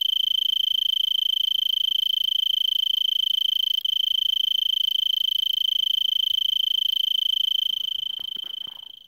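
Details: Arizona tree cricket calling from a brittlebush at Vail, Arizona, 3300 ft, December 26 around 5 PM at about 70 °F, before sunset; sustained high pulsed trill with a tiny gap, fading out with some rustling clicks at the end.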